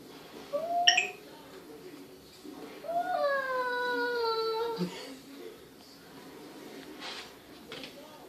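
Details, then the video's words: Indoors, newly adopted cat Perseus talks to his mirror reflection with a brief rising yelp, then a drawn-out moan that rises and eases gently downward for nearly two seconds before stopping; quiet room tone between. "Perseus the cat talks to himself in the mirror"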